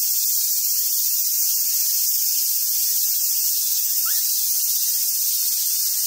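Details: Summer cicada chorus at Awaji Island Monkey Center, Sumoto, Hyogo, Japan, home to a wild troop of Japanese macaques; a dense, even, shrill drone holds constant throughout, with a brief faint chirp partway through.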